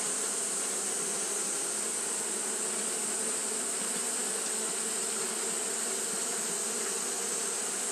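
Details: A dense mass of Japanese honey bees fanning on a hot day: uniform, unbroken buzzing drone with a strong high hiss band, level and steady from start to finish.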